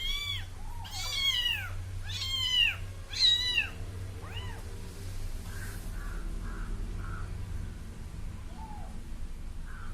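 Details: Small kitten trailing after a person, giving three loud, clear mews in quick succession, each arching up and down, then softer fainter cries fading out against a low droning hum.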